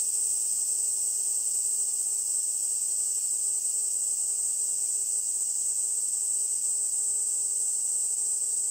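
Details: Kaempfer cicada calling in the rainy-season early summer, late June to July, among cherry trees along the Minuma canal near the Minuma rice fields. It gives a steady, unbroken shrill high buzz for the whole stretch, with a faint constant low hum beneath.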